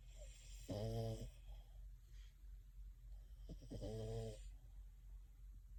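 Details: A French Bulldog, sound asleep and dreaming while cuddling with another dog, snores in two deep, rattling, drawn-out breaths spaced a few seconds apart.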